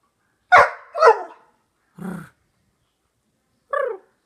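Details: A male Labrador Husky mix gives four short, throaty, muffled growling barks spaced irregularly, likened to a muted lion growl.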